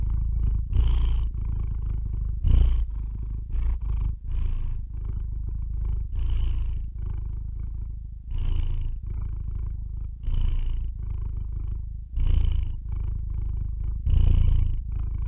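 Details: Cat purring continuously in a low, pulsing rumble, with louder surges roughly every two seconds as breaths alternate, the rhythm slightly uneven across about fifteen seconds; no other sounds stand out.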